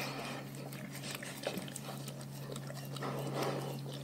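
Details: Raw-fed pack dogs at their meal: a rapid, dense run of wet chewing clicks, several per second, with faint snuffly grunting undertones and a low background hum.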